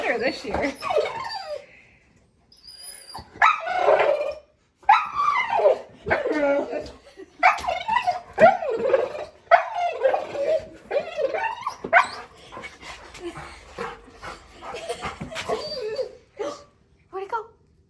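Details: A male Golden Retriever makes a run of warbling, whine-like yowls that rise and fall in short bursts. He makes these noises only when talking to small birds landing outside a store window.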